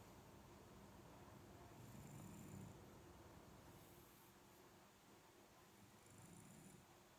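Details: Ageing Shiba Inu dog snoring more as it grows older, indoors: soft low rumbling snores with a hissy breath, two snores about four seconds apart in a quiet room.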